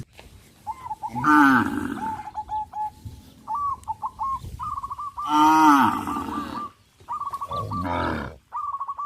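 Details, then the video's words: Tame cows crowding around fields, running and jumping for joy: three loud, drawn-out harmonic moos, each falling slightly in pitch, separated by quieter gaps filled with short, repeated high chirping notes. "sound of cows"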